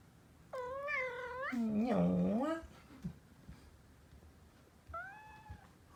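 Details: Male orange tabby Kinta, once a rescued cat cafe kitten, gives one drawn-out meow that bends upward. A person follows at once with a low, growly imitation. A fainter, shorter meow comes a few seconds later against a quiet room.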